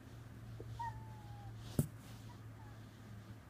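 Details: Domestic cat indoors watching birds outside a window, apparently imitating their calls, perhaps inviting them to play: a thin drawn-out whine sliding slightly downward, a brief softer note, then a sharp click over a low room hum.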